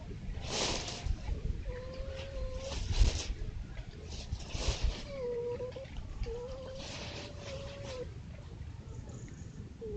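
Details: Foxes caught by trail cameras at a woodland edge among fields in East Sussex, playing or fighting: drawn-out, level crying whines, several in a row, mixed with short rough bursts and a low rumbling background.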